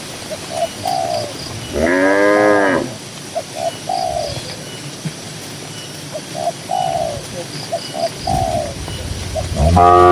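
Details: Among dozens of cows walking on a green grassland pasture, a cow gives a loud, rising-then-falling moo, with soft dove-like cooing notes repeating around it.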